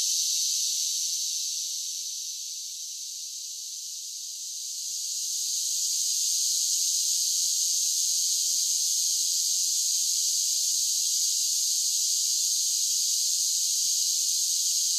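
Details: Singing cicadas on a summer day: a shrill, buzzing drone that softens for a couple of seconds, then surges back and stays loud and even. No other sounds are heard.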